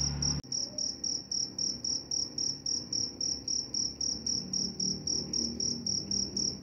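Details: Cricket, offered as a sound for falling asleep and for repelling mice: a steady, high, pure chirp pulsing about every quarter second, each pulse a short trill, with a brief click at the start and a faint low hum beneath.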